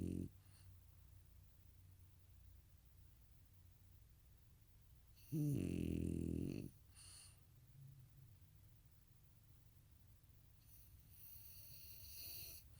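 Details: A snoring goat gives a single loud, rough, pulsed snore lasting about one and a half seconds midway. The rest is faint breathing and a quiet room.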